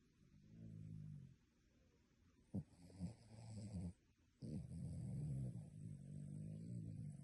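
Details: Sleeping dog snoring in a human-like way: soft, low, rattling snores in uneven bursts, broken by a couple of sharp clicks and brief pauses, with a faint background hiss.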